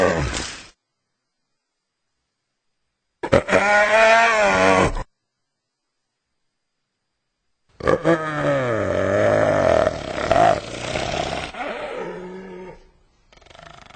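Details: Hyena producing harmonic cries that slide downward in pitch, with a short burst followed by a longer stretch of overlapping wavering calls and grunts that fade out at the end.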